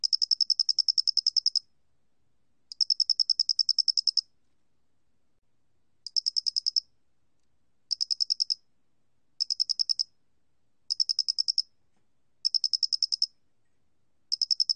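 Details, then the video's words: Doenitz's cricket from a 2020 National Institute of Biological Resources recording, singing high-pitched pulsed trills in bursts of uneven length, some long and some brief, with quiet pauses between them and no background noise. "모대가리귀뚜라미, 여러번 듣기, 곤충소리"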